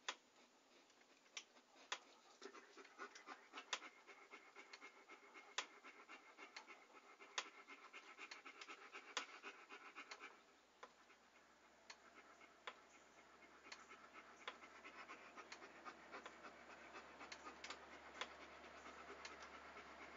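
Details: A dog pants steadily, with quick hissy breaths and scattered sharp clicks. A low constant hum begins about halfway through and continues to the end.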